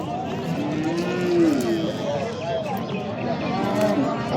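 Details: Moo from bulls at the Oqtepa cattle market, Oltinko'l district, Andijan, Uzbekistan: a faint, drawn-out lowing swell arching up and falling, half buried in the murmur of people bargaining nearby.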